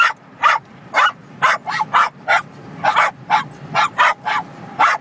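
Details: ['Cairn Terriers barking rapidly inside a car on a highway while passing semi trucks; sharp yappy barks roughly every half second, over steady road rumble.']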